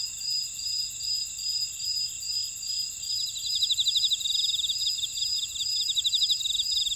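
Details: Insect chorus in a Jeju buckwheat field, Ora-dong, South Korea: a constant high ringing tone with evenly spaced beating pulses, joined midway by a louder rapid series of chirps that continues to the end.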